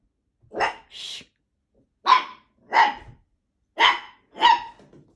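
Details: A blue Italian Greyhound gives sharp, bright barks in loose pairs, each about a second apart.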